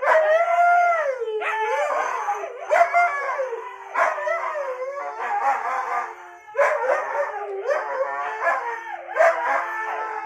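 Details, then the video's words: Siberian Husky howling in a series of drawn-out, wavering tones with rising and falling pitch, several voices overlapping and restarting every couple of seconds, some breaking into yips near the end. "#howlingdog #siberianhusky"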